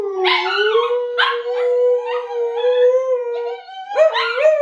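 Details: A 7-month-old male husky cross (pomsky) gives long, held howls that swell and waver slightly, one after another, as his owner prompts him to howl and he tries to copy.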